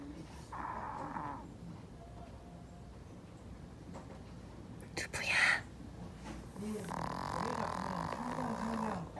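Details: Male Pomeranian Doobu, born November 2013, in deep sleep while dreaming: soft breathy snores with low, rising-and-falling whimpering murmurs near the end and a brief louder rustle midway.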